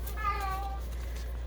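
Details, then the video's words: Female domestic cat indoors, carrying a toy in her mouth and walking around howling as if it were her baby: one short, tonal, slightly falling wail with rich harmonics, over a low steady electrical hum. "Oh, y'all hear that cat? Now, that's not the crazy one. That's June Bug. She's got a toy in her mouth and she walks around howling like it's her baby. You hear it?"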